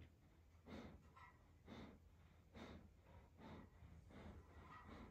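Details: Evo, a German Shepherd settling down to sleep, gives soft, breathy snorts roughly once a second, each a short airy burst, in a quiet indoor setting with a faint low hum.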